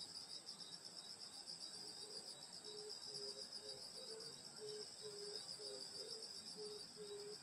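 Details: Summer-night chorus of grass insects in rural countryside by a grandmother's house: constant high metallic trilling in stacked bands, joined after two seconds by short low tones repeating roughly twice a second.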